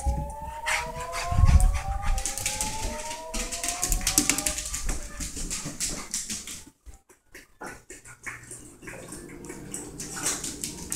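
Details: Levi Von Pack, a rat terrier, just after a bath: a long, thin whine climbs slowly for about four seconds over heavy rubbing and scrabbling noise, followed by quieter thumps and shuffling.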